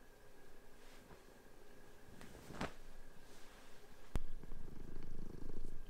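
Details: Two pet house cats indoors on a bed, playing and fighting with each other while sheets are changed; a low, rough, continuous purr-like rumble with faint rustling of bedding and a sharp click.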